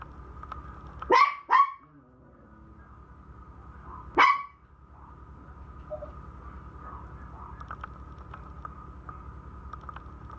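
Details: Puppy barking: two quick sharp barks close together, then a single bark about three seconds later, over a steady low electrical hum with faint ticking.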